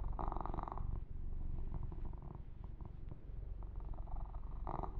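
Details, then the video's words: Kitten Yumak purring during a massage; a close, throbbing low purr with grooming rustles at the start and again near the end. "Kitten Massage - Perfect Sleep Helper Ear to Ear Purring"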